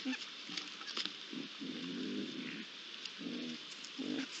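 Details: Three young Iberian lynxes at a pond, recorded on 8 July 2022: short low grunting calls in bursts, one drawn out near the middle, over a steady high hiss of ambient background noise.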